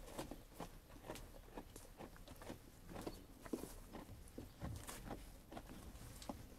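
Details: Feeding sheep producing dense, uneven crunching and snapping chews, some soft thuds mixed in, continuous over several seconds.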